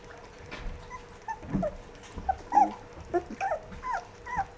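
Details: Fourteen-day-old Rough Collie puppies make scattered short squeaks and soft whines, several overlapping, over a low constant hum.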